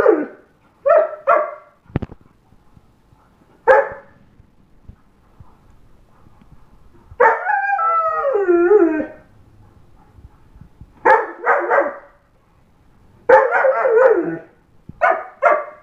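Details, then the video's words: Eight-and-a-half-month-old German Shepherd howling: short harmonic yelping bursts, then a wavering howl of about two seconds sliding downward in pitch, followed by more clipped yowls in quick groups, with near silence between them. "8 and half month old German Shepherd howling"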